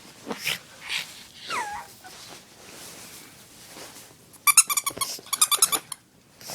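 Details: Oscar, a house dog after his favorite chew toy: a brief descending whimper early on, soft breathing and rustles, then a run of sharp high squeaky pulses in quick succession near the end.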